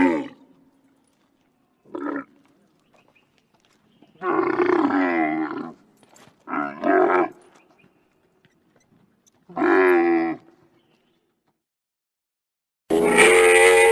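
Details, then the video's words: Wild Bactrian camel (Camelus ferus) uttering a run of separate throaty, harmonic moans, some short and some over a second long, with quiet gaps between them. A loud, sustained, harsh groan closes the sequence. "Wild Bactrian Camel (Camelus Ferus) Sound Effects"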